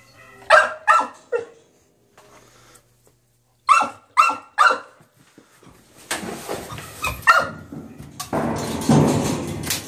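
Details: Puppy in a cage wanting to get out: three quick high barks, a pause, three more barks, then one lone yip amid rattling and rustling noise.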